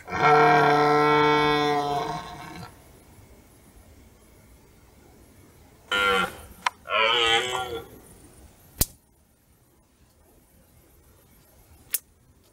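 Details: Red deer stag roaring during the rut in forest as darkness falls, observed by a hunter who did not shoot it; a loud, deep, sustained harmonic bellow of about two and a half seconds, then shorter tonal calls and sharp clicks in quiet.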